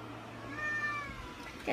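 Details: Munchkin kitten, 45 days old, gives a thin high meow with a wavering tone sustained near the middle of the clip, over a steady low electrical hum.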